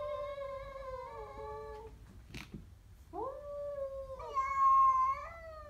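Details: Siamese cat facing a stray: two sliding, falling yowls, a brief sharp knock in between, then a rising moan that levels into a loud, steady drawn-out tone.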